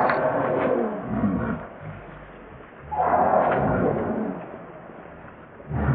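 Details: A baby monkey cries in drawn-out, strained wails, one near the start and a louder one midway, with softer whimpering between bursts.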